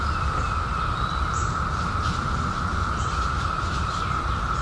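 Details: Cicadas in 2021, newly emerged after 17 years underground, form a steady, unbroken droning chorus at one even pitch, with low rumbling background noise and two brief high bird chips.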